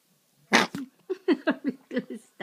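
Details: Adult Pomeranian Kou-chan tugging at a favourite string: a sharp snort-like burst, then a quick series of five or six short, gruff growls in rapid succession, close and loud in a quiet room.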